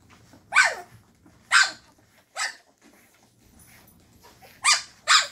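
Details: Llewellin Setter puppies at 2.5 weeks old, active in their whelping box in the evening after their mother stirred them up, finding their voices: five sharp, high puppy barks and yips spaced about a second apart, with quiet rustling between.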